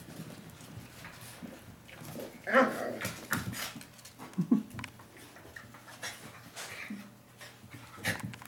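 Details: Miniature pinschers playing wildly indoors on a soft blanket because it is getting colder outside; short whiny, growly vocal bursts near the middle and panting breaths, over steady rustling and scuffling on the fabric.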